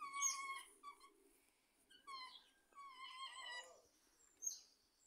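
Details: Otter calls in Riesa: clear harmonic whistling squeaks in short bursts, some steady, some rising then falling, with several overlapping voices, pauses between phrases and a sharp high squeal near the end.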